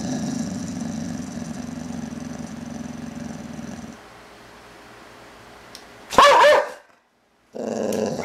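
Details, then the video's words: American Boxer named Boozer growls while playing, a long steady low rumble for about four seconds, then a short sharp bark-like burst after a quiet gap and another growl starting at the end. "Boozer Growling Boxer Play"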